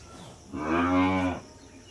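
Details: Cattle at a Bangladeshi dairy farm: a single low, harmonic-rich moo lasting about a second, swelling and fading, against quiet background.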